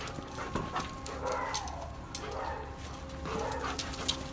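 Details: Duke, a very friendly but highly energetic dog with little training, whining excitedly while greeting and jumping up; soft wavering whimpers rise and fall in short bursts, with a person calling him over and telling him not to jump.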